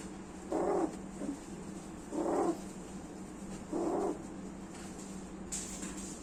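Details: Cats, a male and a female, calling while mating: three short, low moaning calls with rich harmonics, about every one and a half seconds, then a softer fourth call, over a steady low hum.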